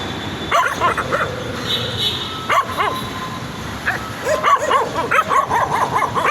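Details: Excited puppies give high, rising-falling yips in scattered bursts that build toward a rapid cluster near the end, over a faint background hiss.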